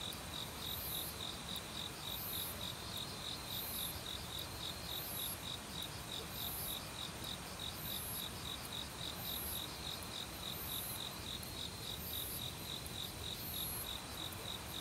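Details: Forest autumn cricket chorus mixed with assorted insects; quick regular chirping pulses continue throughout, joined by intermittent very high buzzy trills roughly every second, all over a loud steady mountain stream.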